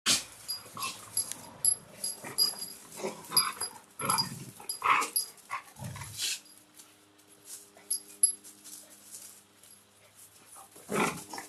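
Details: Belgian Malinois puppies from breeding litters make irregular bursts of squeaky whines, wheezy snuffles and soft yelps.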